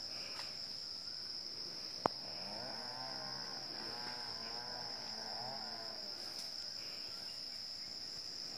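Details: Wild Asian elephant herd at 7:18 in the morning on 10 December 2016 in Chanthaburi Province, Thailand; a long, wavering, rumbling call with rising and falling tones under a steady high insect drone, with one sharp click.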